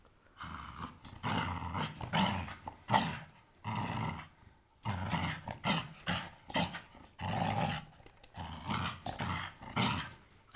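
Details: Blue Staffordshire Bull Terrier playing with a toy, giving repeated rough play growls in bursts of about a second, with short gaps between them, continuing steadily throughout.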